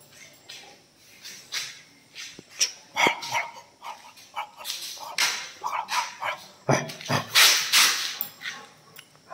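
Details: An 8-month-old Rottweiler gives a run of loud, sharp barks, uneven in spacing and strength; some clipped and yappy, others longer and harsher, with brief pauses between bursts.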